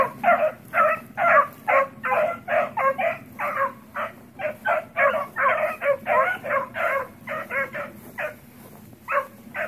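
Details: Pups around the house give rapid, rough barks and yips in an unbroken run, roughly two bursts per second, with faint low rumble underneath.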